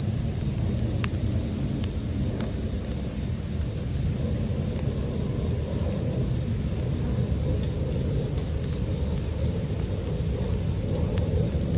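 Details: Bell crickets keep up a constant, piercing, tinkling trill. Intermittent crackling and popping of a wood fire and a deeper rumbling drone fill the lower range.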